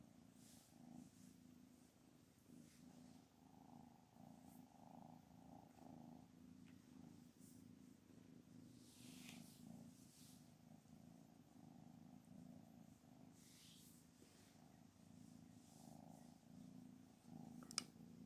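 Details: Low continuous purring from Anna, a mother cat described as angry and rejecting her kittens, softly rising and falling with each breath, faint rustles and a click near the end.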